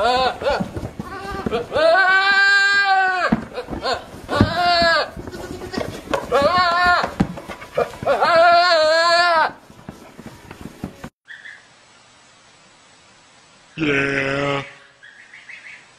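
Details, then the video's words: Goats screaming: a run of long, loud, nasal bleats in quick succession, rising then falling, followed by a near-silent stretch before one last short, hoarse scream. "Hilarious Screaming Goats Compilation"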